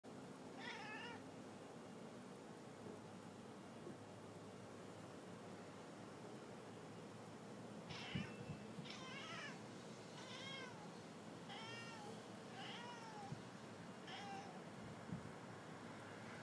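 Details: Domestic male cat at a window calling toward pigeons on a roof across the street: a short bout of stacked, wavering meows, then a run of six quick rising-falling chirping meows about one per second, over faint room hiss.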